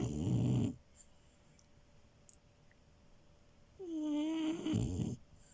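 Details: French Bulldog puppy Milo snoring while asleep on a bed: a low rattling snore, a long quiet gap, then a drawn-out whistling wheeze sliding down before a rougher snort.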